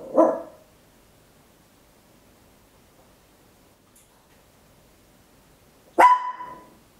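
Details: Papillon, a tiny dog, recorded at home on an Olympus LS-11 in stereo: two sharp, loud barks about six seconds apart, the second ringing and slightly drawn out, with near silence between.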